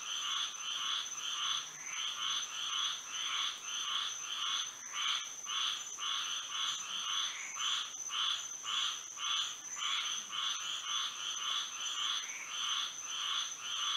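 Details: A Florida frog chorus sings through a moonlit night, with rhythmic, buzzy croaks beating roughly twice a second in a slightly uneven stream, backed by an unbroken shrill high note.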